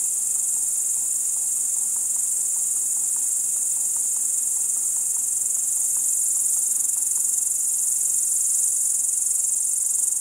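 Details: Crickets heard in darkness at Kiili, Estonia, shortly after 1 a.m. on 30 July 2012, giving an unbroken, fast-pulsed, piercing high trill at constant loudness, with faint soft clicking underneath.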